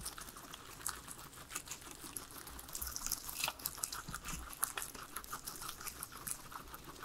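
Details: Three pet guinea pigs eating their veggies indoors, a soft, steady patter of small crunches and crinkles, quiet and irregular, with no talking or music.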